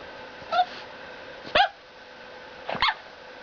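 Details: Boxer puppy named Storm, seven weeks old, indoors: three short high yelping whimpers about a second apart, each with a quick falling-then-rising pitched cry, over a steady mains hum.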